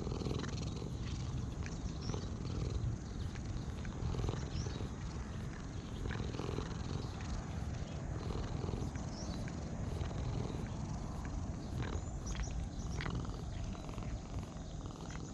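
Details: Purring stray cat being petted, then starting to lick; a continuous deep rumbling purr throughout, with scattered small clicks and soft rubbing noises from handling.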